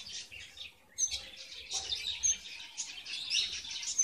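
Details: Red avadavat, or strawberry finch, in a cage during nest building in February 2017, male still lacking red feathers; continuous high, thin twittering chirps after a brief near-silent opening, with light rustling underneath.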